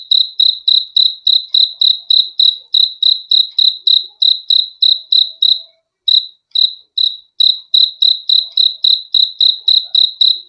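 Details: Crickets chirping in fast high pulses, around three and a half per second, with a short stuttering gap partway through before the regular rhythm returns; no other noises.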